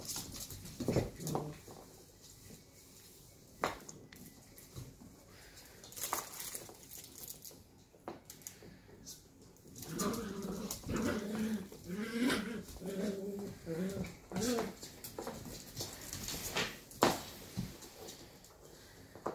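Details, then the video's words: Eleven-week-old sheltie puppies, two of them, playing roughly; after scattered bumps and clicks, a run of harmonic growls and whines sounds in the second half, with scuffles throughout. "Two pups left... rough play!"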